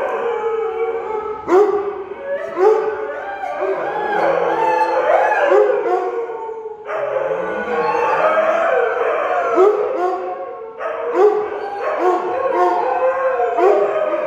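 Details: Three dogs (a Husky, a German Shepherd and a Weimaraner) in a long group howl, layered sustained wails with bending pitch, briefly breaking off around seven and eleven seconds before resuming, with short yips mixed in.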